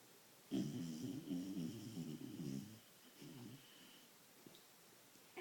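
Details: Very tired vizsla puppy snoring in sleep with low, rattling, buzzy breaths.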